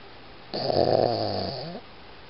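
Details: A single drawn-out, rasping snore from Iggy, a Boston Terrier, lasting about a second and a quarter and trailing off into a softer wavering exhale, in a quiet room.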